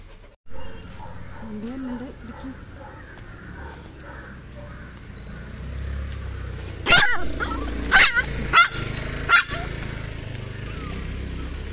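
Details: Pomeranian dog on the way to get an injection, giving a short burst of four or five sharp, high barks in quick succession late in the clip, over a steady low rumble of a moving vehicle.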